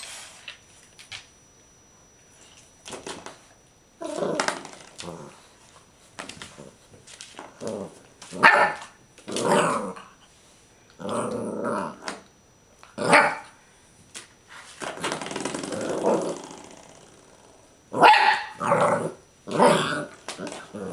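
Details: Clumber Spaniel growling over a doorstop, a series of rough bursts with mid-pitched growls and short barks separated by pauses, louder clusters near the end.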